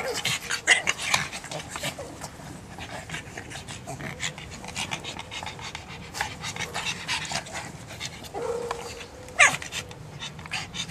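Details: Fast rhythmic panting from a pug, airy wheezing breaths running throughout, with a brief whine-like squeak near the end and faint speech in the background.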